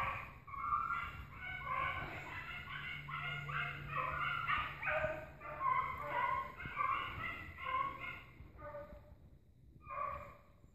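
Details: Pack of hunting dogs in pursuit of an agouti, heard at a distance: a steady chorus of rapid overlapping barks and yelps running continuously, fading briefly near the end before one last burst.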